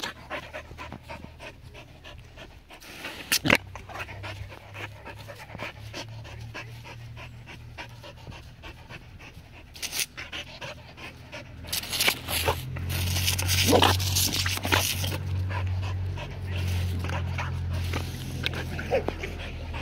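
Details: A seven-year-old Border Collie at play with water pants rapidly and fairly regularly, about three breaths per second, louder in the second half, with a steady low drone and scattered splashing crackles.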